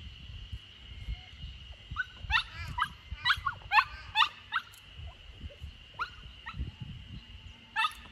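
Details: Samoyed puppy, 64 days old and on its third day in a new home, in a garden corner in Niseko, Hokkaido, Japan, on June 3, 2021, while escaping. About a dozen short, high rising yips and whimpers in quick irregular bursts, with a steady thin high tone behind.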